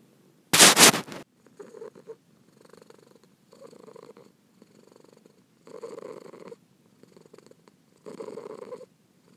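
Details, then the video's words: A loud rustling crackle opens, then a kitten purrs quietly in short rumbling bursts separated by silences, growing fuller toward the end. "Cat Purring"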